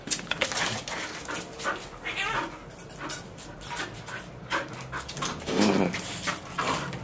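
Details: Bull Terrier at play with a solid nylon-wrapped bicycle tyre it chews apart; heavy breathing and panting with scraping chewing sounds, a brief low whimper near the end.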